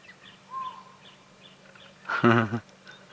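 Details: A chacma baboon on a sunrise safari drive (around 7:30 AM, April 6, 2017) in South African game reserves gives one loud, harsh, strongly harmonic bark, possibly an alarm call; faint chirps and a low engine hum come before it.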